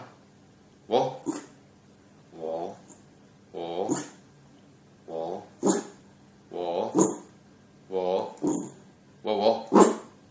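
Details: Dog giving a series of short, harmonic barks and growly whines, about eight bursts spaced roughly a second apart over ten seconds, indoors in a small room.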